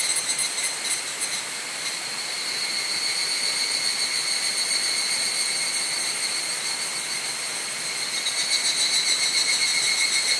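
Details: Evening cicadas calling together at dusk, 31 July 2011, on a cloudy evening at Mount Hokyo near Tsukuba, Japan; continuous piercing metallic trill, with faint rhythmic pulsing at the start and end, recorded on a camera's built-in microphone.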